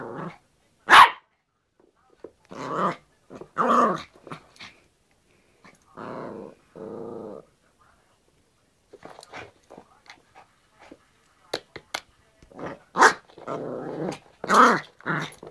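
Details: Yorkshire Terrier playing with a hairbrush indoors: sharp single barks mixed with rough, harmonic growls in short bursts and pauses, some scuffling between sounds.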